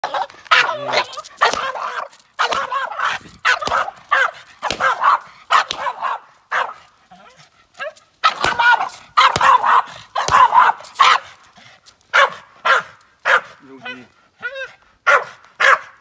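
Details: A male Boston terrier, upset by noises and movements while his owner cleans the car, barks in rapid, sharp bursts mixed with yelping, agitated yips.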